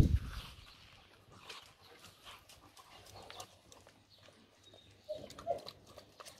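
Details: German Shorthaired Pointer females in a summer kennel's pens near Mangalia; faint, scattered short barks and yelps, with a brief cluster of louder barks near the end, a sharp thump at the start and a steady low rumble underneath.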